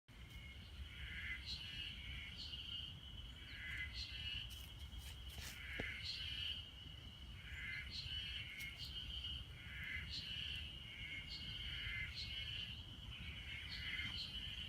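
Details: Ezo harusemi cicadas singing in Hanazono Park, Otaru, Hokkaido, Japan, during an unusual 30–32 °C May heatwave, recorded on an iPhone facing the hillside: a steady high buzz with bright phrases pulsing roughly every second, several callers overlapping, low rumble beneath.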